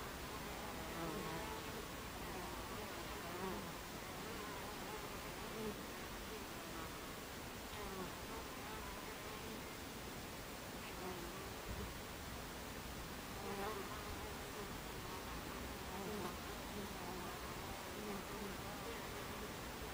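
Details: Twenty seconds of Buckfast bees humming at the mouth of the hive on a July afternoon in 2013, 14:30. A thick, unbroken buzz with wavering pitches of individual flyers rising and fading.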